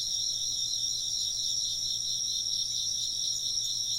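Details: Chirping insects in an ambient soundscape, a dense, steady high trill in two bright bands with no pause, constant loudness throughout; a faint low hum underneath.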